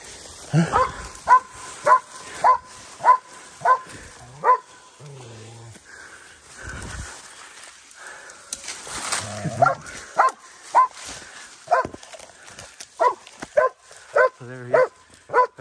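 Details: Belgian Malinois on a hog hunt, baying in bursts of sharp evenly spaced barks, roughly one and a half per second, breaking off for a few seconds of lower growling and scuffling before resuming.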